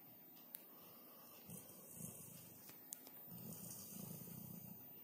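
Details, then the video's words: Sleeping Labrador Retriever named Caesar sprawled on the owner's sofa indoors, his loud snore carrying through the flat; soft low grumbling inhalations swell in uneven bursts, with a couple of sharp clicks in the room. "Лабрадор храпит на диване"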